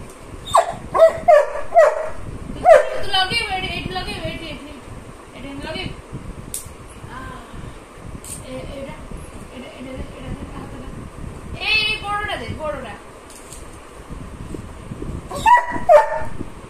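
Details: Labrador Retriever puppy named Golu playing with Mehendi, giving short, high yips and whiny squeals in quick bursts near the start, again around the middle and at the end, with quieter rustling and scuffling between.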